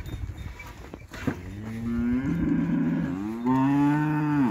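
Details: Montafon cattle raised for livestock: after some clatter, a long, sustained moo builds, dips slightly, then climbs back to a loud, steady, resonant lowing.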